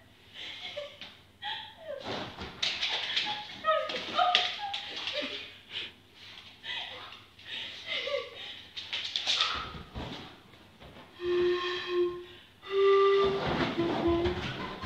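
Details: A 1-year-old Basenji reacting to a pan flute yodels (a "Basenji 500") in wavering, sliding tones that swoop up and down, mixed with taps and thumps.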